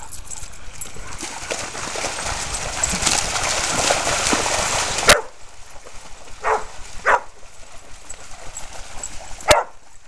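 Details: Red and white purebred male Australian Shepherd, 1 1/2 years old, at Bear Creek Dog park, where he plays in the creek and herds other dogs; loud splashing water noise first, then a few short, sharp, separate barks against quieter background.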